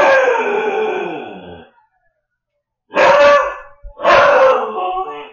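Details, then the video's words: Siberian Husky puppy Shadow, alone indoors and watched on camera while its owners were at dinner, gives a long howl that gradually falls and fades, then two shorter, rough, yowling howls in quick succession. "husky puppy left home alone freaks out!"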